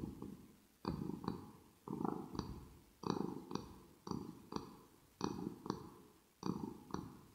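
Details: Ear-to-ear ASMR purring from Rosetta, a pet kitten, indoors; rhythmic low rumbles pulse roughly every second in breath cycles, each opening with light smacking clicks, amid quiet room tone.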